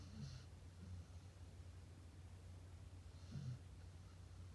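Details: Sleeping dog snoring indoors: a low, rumbling snort at the start and another throaty snoring breath a little after three seconds, with soft low breathing between them in a quiet small room.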